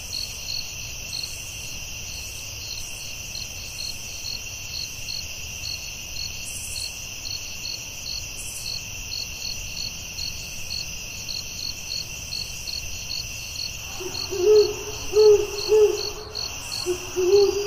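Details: Crickets chirp in a forest at night, a steady high trill with evenly spaced pulses. Near the end a series of low hooting calls joins in.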